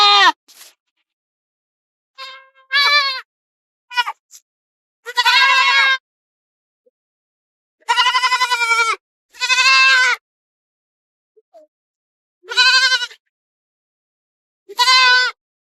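Goats bleat in loud, wavering, nasal calls, each about a second long, with short pauses between.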